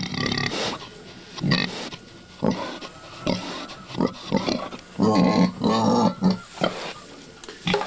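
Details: Sow close to giving birth, acting goofy on a farm near Collinsville; short low grunts come in spaced bursts, a longer rough run of grunting in the middle, with a faint steady hum behind.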